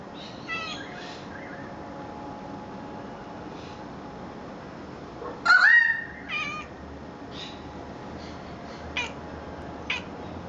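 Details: Scottish Fold cat sitting in a favourite chair indoors, chattering at birds: soft scattered chirps, then a louder rising, trilling call midway, followed by a few brief high chirrups, over a steady low room hum.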